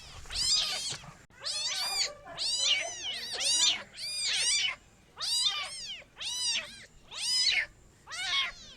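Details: High, piercing kitten cries repeated in rhythmic bursts, each meow sweeping up and down, several calls crowding together before brief pauses.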